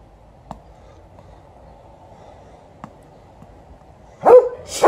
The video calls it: Golden Retriever is barking